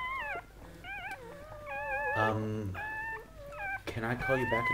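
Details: Goldendoodle litter birth, mother Sandy delivering seven puppies: clear, high whining cries that rise and fall in pitch, repeated in short bursts, with a human voice breaking in midway.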